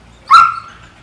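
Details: Apollo, a six-month-old German Shepherd in training with an Orlando, Central Florida dog trainer, gives one short, sharp, high yelp-like bark that starts abruptly and fades within half a second; otherwise quiet.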